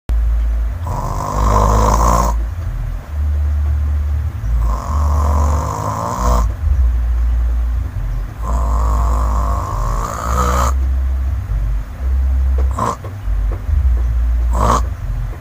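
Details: Village cat (kucing kampung) asleep, snoring loudly: deep rumbling breaths below the midrange, each long drawn snore lasting about two seconds with a brighter raspy layer on top, separated by short pauses, several cycles in a row.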